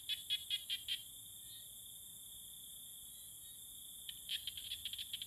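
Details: Tree frogs calling to court one another; short bursts of sharp clicking pulses repeated in quick clusters, pausing about three seconds before resuming, over a steady high insect-like whine.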